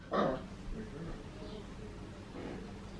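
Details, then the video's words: Papillon puppy Max, aged 14.5 weeks, indoors trying to get Tiger, the household Maine Coon cat, to play: one sharp, high bark at the start, followed by quiet room sound and faint voices. "Max the Papillon puppy want to play our mainecoon cat"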